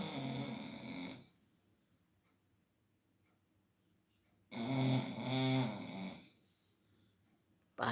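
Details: Labrador Retriever named Leo snoring while asleep indoors around 5 pm in the afternoon, in air-conditioned cool air; two long rattling snore breaths with a quiet pause between, a short third starting at the end.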